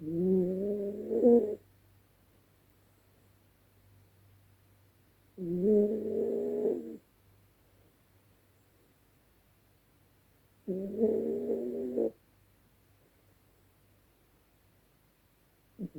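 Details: Yorkshire Terrier snoring loudly while asleep at night: three drawn-out, tonal, nasal snores, each about one and a half seconds long, come roughly every five seconds, with near silence and a faint low hum between them.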